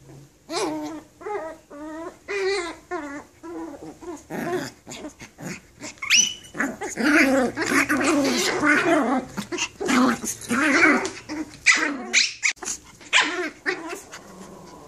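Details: Tiny Toy Poodles fighting indoors: a busy run of snarling growls, yaps and barks with harmonic whines, overlapping and irregular, about one burst a second, continuing throughout with barely a pause.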